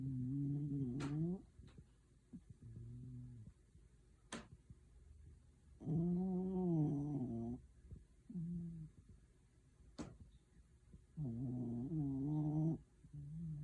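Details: A pet dog sleeps comfortably and snores. Low, buzzy, droning snores last about one to one and a half seconds each and come every few seconds. Quiet pauses and a few faint sharp clicks fall between them in a quiet room.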